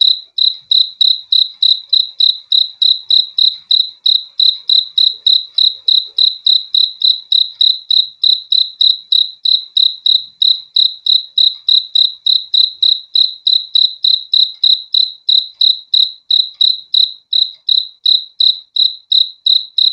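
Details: Crickets chirping for a good night's sleep: an unbroken, metronome-like train of high, ringing pulsed chirps at just over three per second, clean and free of other noises.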